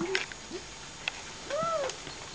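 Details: Long-haired German Shepherd giving short tonal whines: a brief upward note, then a longer arched whine that rises and falls near the end, with faint clicks between.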